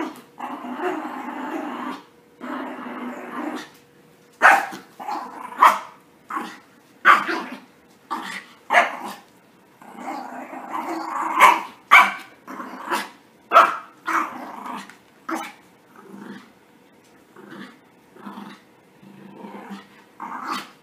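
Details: Freshly bathed puppies in rough play, opening with drawn-out growls, then a long run of quick sharp barks and yips spaced under a second apart, tapering to softer growls.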